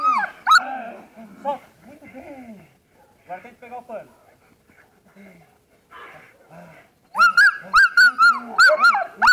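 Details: German Shepherd during protection training: a man talks over scattered, softer dog sounds, then a burst of loud, sharp barks repeats rapidly about twice a second through the final two seconds.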